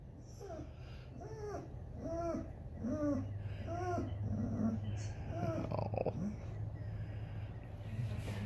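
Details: Basset Hound howling sadly while waiting for the grandkids to come out and play and missing his bulldog buddy taken to the vet; a run of about seven short arched, rising-then-falling mournful yelps, then trailing off under a low steady hum.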